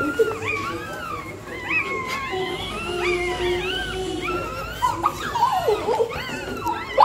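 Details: Pregnant dog in labour, scratching out a nest before giving birth; a steady stream of high, wavering whines and squeaky tonal cries rise and fall almost without pause, with louder yelps near the end.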